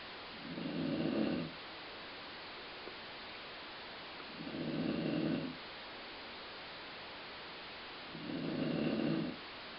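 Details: Dog named Colline asleep and snoring, said to resemble stomach growling; three throaty, droning snores of about a second each recur every three to four seconds against constant soft hiss.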